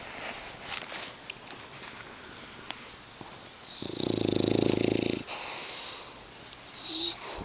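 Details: English bulldog snoring: one loud, rough, rattling snore of about a second, with faint clicks and scattered noises before and after it.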